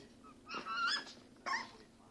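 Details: A female Pembroke Welsh Corgi, mother of her first litter of puppies, gives a high, drawn-out whine, then a second short yelp-like whimper.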